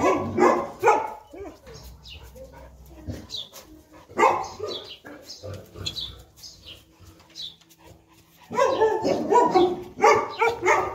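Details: Enzo and Diva, a Boerboel pair living in Egypt, at play; rough barks and growly yips arrive in clusters separated by quieter gaps, ending with a dense, noisy flurry of barking.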